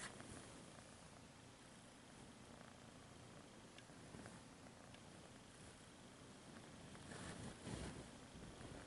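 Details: Domestic cat purring steadily, a soft low continuous rumble held throughout, with brief rustling or handling noises near the end.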